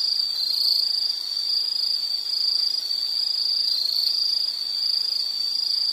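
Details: Insects give a steady, shrill, high trill that swells and fades gently in loudness, with a fainter higher band above it and no other sounds.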